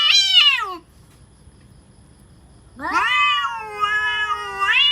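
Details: Real cats threatening each other. A high, strained yowl slides downward and breaks off. After about two seconds of near silence, a second long moaning yowl swoops up and holds with a wavering pitch.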